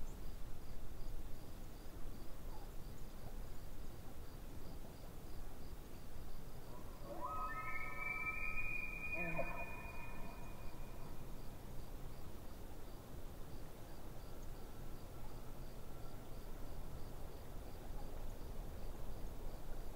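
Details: Elk calling at a distance by a lake, giving one long rising bugle that climbs into a high, strained whistle and falls back through rough harmonic layers, lasting about three seconds, with steady low background rumble and soft, regular insect clicks.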